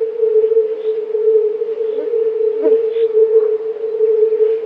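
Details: Hundreds of male fire-bellied toads in a mating chorus, a dense, continuous low droning of overlapping croaks, nearly uniform in pitch, with a few faint higher sounds.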